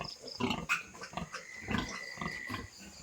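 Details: Newly born piglets from a young sow's easy farrowing on a farm: brief grunts and a sharp squeak, then a faint thin tone held for about a second, with farm background noise.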